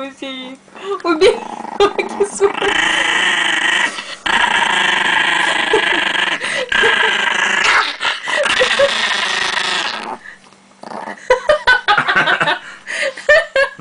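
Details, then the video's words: Chihuahua from Russia defending pancakes at home with a steady, harsh, droning growl held for about seven seconds. Russian speech and household noises surround it. "Terrible chihuahua protects pancakes!"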